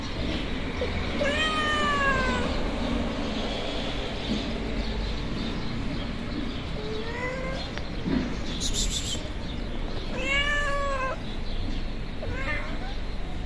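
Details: Hungry feral street cats, a tabby and a white cat with blue and yellow eyes, approaching for food; four drawn-out, harmonic meows that rise then fall, spaced a few seconds apart, over steady background hiss and brief clatter.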